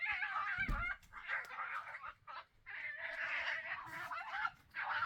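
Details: Two European badgers fighting at Vestfossen, Norway, on June 8th, 2023; loud harsh, wavering screams and squeals run almost without pause, with brief breaks between bursts.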